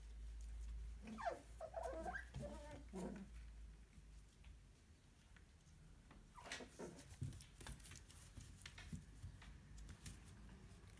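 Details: Puppies, filmed between birth and ten weeks of age, give short high whining squeals in quick bursts, then a second cluster of whines after a pause, over rustling, clicking handling noises and a low hum at the start.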